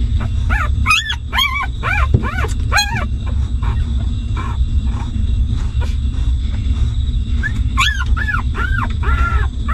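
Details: Newborn puppies of a stray mother dog whimpering while suckling milk: a quick run of high, arched squeals in the first three seconds, a pause, then more squeaky cries near the end, over a steady low rumble.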